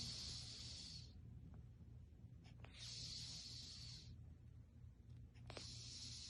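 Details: Storm, an elderly Russian Blue cat aged fourteen, asleep and snoring in an even rhythm: three hissing, airy breaths roughly every two and a half seconds above a constant low hum.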